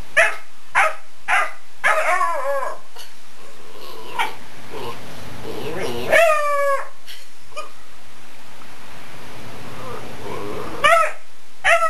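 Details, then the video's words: Odin the dog reacting to fingers running across the couch: a few quick barks, then drawn-out wavering howl-like cries near two seconds and six seconds, then more short barks at the end. "Odin barking and howling at fingers"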